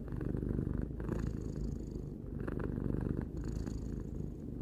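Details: Continuous low rumbling purr from Tarou, a pet cat aged three, pulsing gently with each breath in and out over a few seconds, with nothing else audible.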